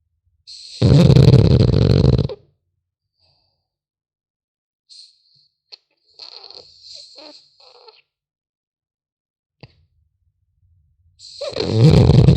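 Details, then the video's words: French Bulldog puppy sleeping: loud rasping snore, a long quiet stretch with small whistling wheezes and snuffles, then the next snore begins. "Храп щенка французского бульдога"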